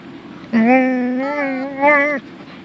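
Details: Punky, a female pet dog, vocalises at her beloved toy chicken indoors: one drawn-out, tonal, moan-like note lasting under two seconds, holding steady with a slight rise and swell near the end.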